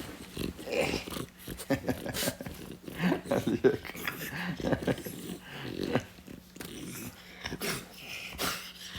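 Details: A French Bulldog acting as a guard gives short, gruff barks and throaty growls in reaction to strange noises, while people talk and laugh indoors in the background.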